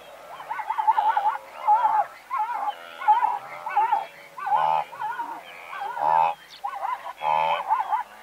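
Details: Blue wildebeest herd of several hundred animals, calling from medium-close range: overlapping nasal, wavering honks pulse one after another, some short and some drawn out, blending into a continuous chorus.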